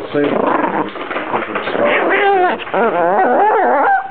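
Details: A dog vocalizing in a way likened to a Star Wars character or a baby: drawn-out whiny moans with bending, wavering pitch, rising and falling through several connected glides, recorded indoors with a muffled, narrow sound.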